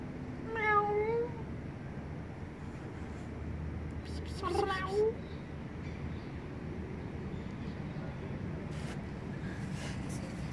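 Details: Timid kitten living on a vent hole meowing twice, a short rising-falling call near the start and a second fainter one around five seconds, over steady low rumbling background noise.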